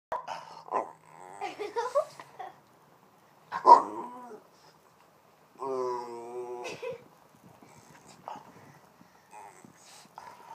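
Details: Boston Terrier being hugged, mooing like a cow and whining; low grumbling growls and whines at first, then a drawn-out, strongly harmonic moaning moo midway, with faint human voices between the sounds.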